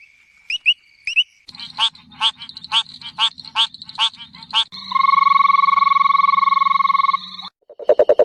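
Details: A few high chirps, then a run of rapid pulsed croaks about twice a second, followed by a sustained buzzy trill and a final burst of low, fast pulses, all from frogs in a relaxing nature-sound mix.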